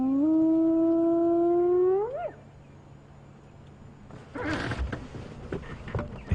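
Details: At a hyena den on a sunrise safari drive on 2 October 2015, a spotted hyena calls from the other side of the den with a long, low hooting call that swings sharply upward at the end.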